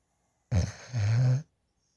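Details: Sleeping puppy adopted from a dog rescue, lying in a lap while snoring and drooling: one low rumbling, droning snore of about one second, harsh at first then steadier, with silence on either side.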